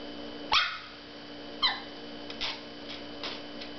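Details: Maltese puppy named Teddy discovering his first mirror, giving two sharp high yipping barks about a second apart, followed by fainter short yaps, with a steady electrical hum underneath.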